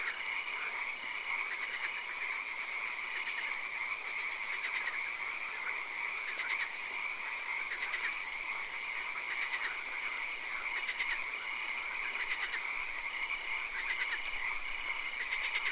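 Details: Swamp frogs at night calling together: many rapid pulsed croak bursts repeating irregularly across the whole stretch, layered over a steady shrill drone and soft hiss, in a setting with occasional rain.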